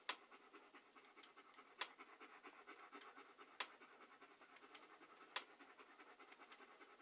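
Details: A dog panting in steady, rapid, breathy bursts that fill a wide hiss-like band. Sharp clicks cut through about every 1.8 seconds. There is no other background sound.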